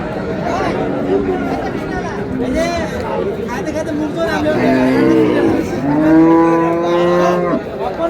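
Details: Cow with calf at Raniganj market in Dinajpur, Bangladesh, on 4 May 2026, giving a long, low, drawn-out moo late in the clip, rising then falling, over steady crowd chatter and bargaining voices.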